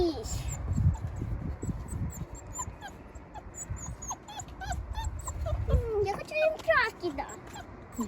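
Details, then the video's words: Rescued wild wolf pups whimpering, with thin, wavering whines and short yips scattered through the clip, growing busier near the end, over low handling noise, rustling and human talk. "ВОЙ ВОЛЧАТ"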